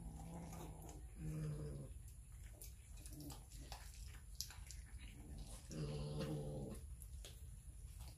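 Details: Hungry cats and kittens eating raw fish, filmed on a Samsung Galaxy S9 Plus: two low, rough growls with rich harmonics, each about a second long, over wet chewing and clicking sounds from feeding.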